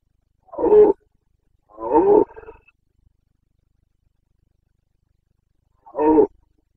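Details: Rutting Carpathian red deer stag in Bucovina, 29 September 2022, breeding season: three coarse, throaty roars, the first two back to back, the third after a pause of about three seconds.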